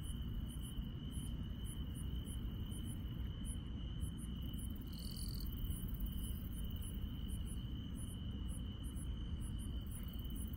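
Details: Countryside insects calling at night: a piercing steady trill holds constant while tiny high ticks repeat irregularly, with one short brighter buzz midway; low-frequency rumble fills the background.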